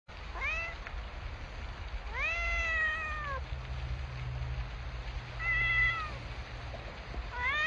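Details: Cats and kittens meowing: clear, rising-then-falling meows, one long drawn meow near the second mark and shorter ones spaced a few seconds apart, over a low background hum.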